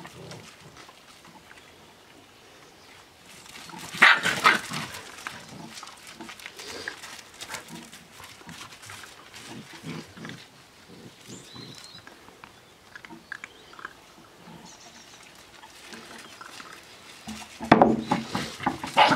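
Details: Australian Shepherd puppies, seven weeks old, playing together; two brief bursts of sharp yips and squeals near the start and the end, with quiet scrabbling and patter filling the long stretch between.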